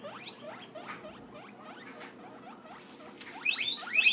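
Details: Guinea pig (Cavia porcellus), wheek call: hunger, asking for food.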